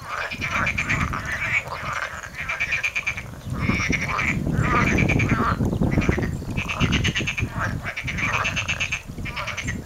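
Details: Several frogs call in a stream bed north of Paphos, Cyprus, on 14 January 2019, giving overlapping quick trains of rattling, pulsed croaks over a steady low rumble of running water.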